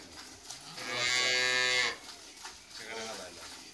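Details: Friesian dairy cow kept on a farm with her heifer calf; she has calved for the second time. She gives one loud, steady, nasal moo lasting about a second, with quieter shuffling before and after.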